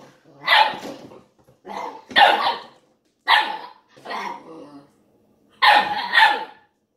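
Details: Ibizan Hound puppy, eight weeks old, barking while playing with a milk jug; five bursts of sharp, high yapping barks spaced about a second apart, some doubled, over a quiet room.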